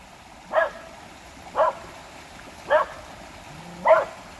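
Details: Barking dogs by a creek, four short bright barks spaced roughly one second apart over a steady hiss of background noise.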